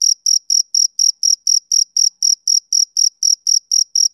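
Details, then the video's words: A male cricket chirps on a summer evening, sixteen crisp, high, evenly spaced chirps in about four seconds, with no other sound. "Cricket Chirping Sound Effect"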